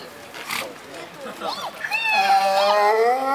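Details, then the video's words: Donkey at Kharkiv Zoo, Ukraine, described as bored or missing someone; after a quiet, scrappy opening, a loud, richly harmonic, nasal bray swells at about two seconds and holds, wavering slightly, to the end. "Ослик скучает"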